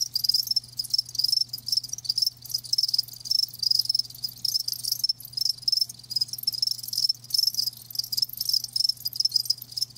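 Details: A loud, dense chorus of live crickets: high, rapid, nearly unbroken chirping with overlapping trills, and a faint steady low hum beneath.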